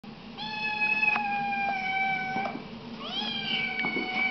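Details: Siamese kittens meowing loudly indoors: two long, steady, high-pitched drawn-out meows, the second rising at the start, with faint clicks and a low hum in the background.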